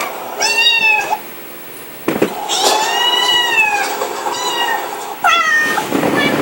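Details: Domestic cat meowing indoors: a short meow, a pause, then a long drawn, arching cry and a final quick meow, with some faint rustling between calls.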